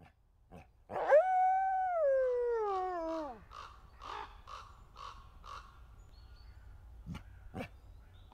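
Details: Endangered red wolf kept at a conservation center in South Salem, New York, giving one smooth, clear howl that holds steady, then slides steadily downward over about two seconds, followed by faint short scattered yips and clicks in quiet surroundings.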